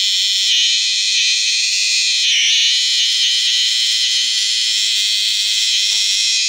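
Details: Borneo cicadas give a loud, steady, high-pitched, alarm-like buzz that runs on without a break; cicada.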